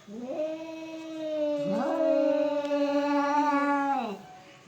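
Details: Pair of cats in a fight let out a sustained moaning yowl, a dip and quick rise near the middle, then a long level wail that drops off at the end.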